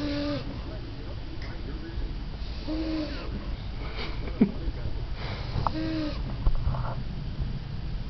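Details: A 14-year-old female French Bulldog, just fallen asleep, snores with low, wheezy, whistling tones repeating about every three seconds.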